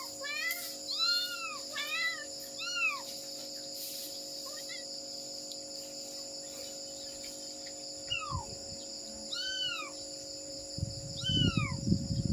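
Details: Mother cat searching for her kittens, giving a series of short arched meows, some in quick pairs, with pauses between them, over steady high insect-like hum and tonal background noise, with rustling near the end.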